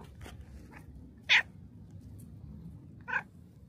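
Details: Shrine's black cat greeting a visitor at the torii gate; two brief, clipped chirping meows about two seconds apart against quiet low background noise.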